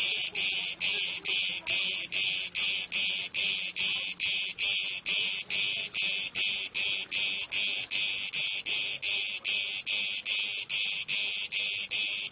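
A cicada sings in loud, shrill buzzing pulses, about two or three each second, in a steady rhythm.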